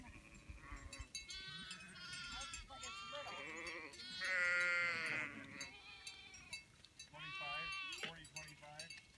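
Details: Spring lambs born in a farm field bleat in four shaky, tremulous calls spread across the recording, with softer rustling and faint human voices between the bleats.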